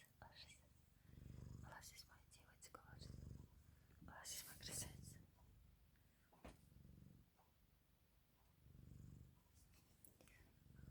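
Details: Canadian Sphynx cat, said to be cozying up to keep warm, purring in low rumbling bursts near 1, 3 and 9 seconds, with soft whispering and rustling clicks between.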